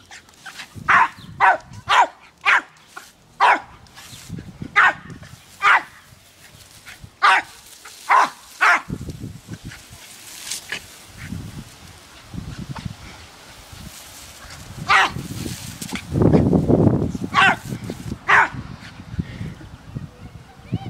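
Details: Dumpy the Jack Russell Terrier chasing water from a garden hose: a steady string of short, punchy barks about every half second, then a hiss of spraying water with a few scattered barks later.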